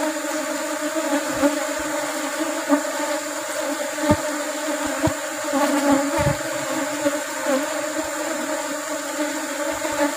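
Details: A colony of Asian honey bees (Apis cerana) being harvested for rubber-blossom honey. A steady, rich droning hum fills the recording, dotted with light taps and clicks.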